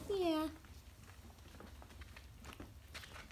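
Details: Young Briard puppy at 4.5 weeks old gives a single short falling whimper, clear and tonal, followed by near silence with faint room noise.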